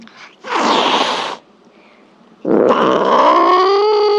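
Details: Cat producing a loud breathy hiss, then after a silence a long, harsh wailing meow that rises in pitch.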